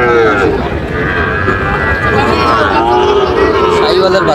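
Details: Sahiwal and Friesian bull calves at a cattle market in Munshiganj, Bangladesh, July 24: a busy market scene with several overlapping calf moos, tonal and slightly wavering, amid constant crowd chatter and speech.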